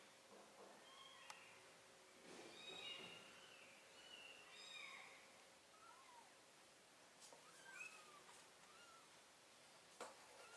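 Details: Domestic cat scene with a mother cat carrying her kittens to a new place; soft, arching mews rise and fall over faint background hiss, with rustling and scattered clicks.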